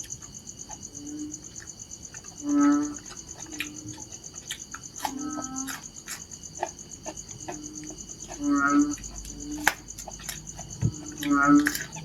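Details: Narrow-mouthed frog calling with low, nasal, buzzy notes, three loud calls spaced several seconds apart and softer calls between, over a steady high insect trill.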